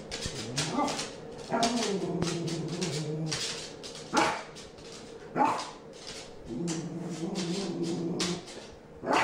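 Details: Frustrated puppy, a male that sneezes when frustrated, giving rising and falling whimpering whines with a few short sharp sneeze-like bursts indoors.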